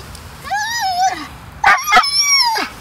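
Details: Ninja, a pet dog refusing to leave the beach after fetch, whines in a long high wavering tone, then gives a few sharp barks into another rising-falling whine while someone coaxes him to go.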